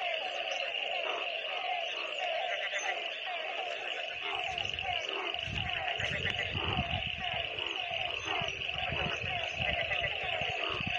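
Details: A dense chorus of frogs calls together during rain, with steady pulsed trilling and croaks over low rumbling.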